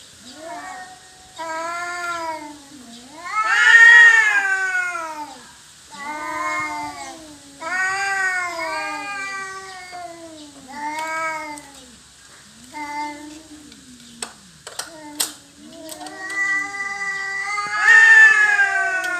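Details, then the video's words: Two domestic cats disputing territory trade a long series of arching, harmonic-rich yowls and moans, rising and falling in pitch, several loud peaks, with brief clicks and knocks near fifteen seconds. "Kucing Berantem Rebutan Wilayah"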